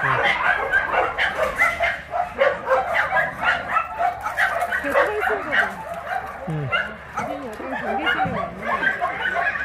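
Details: Big shelter dogs out for exercise at an abandoned-dog shelter in Yangsan, Korea: a crowded chorus of rapid, irregular barks and yelps overlaps continuously, several higher whining yips rise and fall midway, and people talk underneath.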